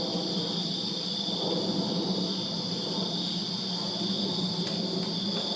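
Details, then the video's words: Summer night chorus of crickets in a Virginia backyard: a constant piercing high buzz with a thinner higher overtone, over a low steady hum and soft rustling noise. "Crickets Chirping Summer Night in Virginia"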